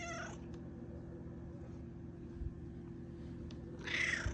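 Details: Malia the cat meowing at her owner early in the morning: a clipped meow fades out at the start, then a bright, rising meow near the end, with a low steady hum throughout.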